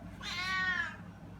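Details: Domestic cat giving a "ghost" meow toward her owner: one drawn-out, harmonic-rich wail, rising then slowly falling, about three-quarters of a second long, with a woman's voice speaking just before.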